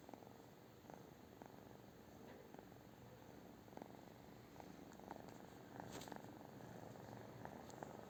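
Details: A British Shorthair cat purrs steadily, soft rumbling pulses recurring at a quick regular pace, growing slightly louder near the end, with a brief higher rustle midway.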